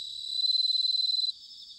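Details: A bell cricket in autumn at Sanuki, Chiba, Japan, gives a short rapid pulsed ringing trill, about twenty quick beats, that stops abruptly, leaving a softer background chorus of crickets.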